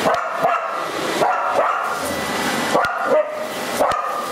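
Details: Kailie, a Border Collie, barks at a running vacuum cleaner she both wants to approach and avoid; several quick barks, some in pairs, over continuous droning machine noise.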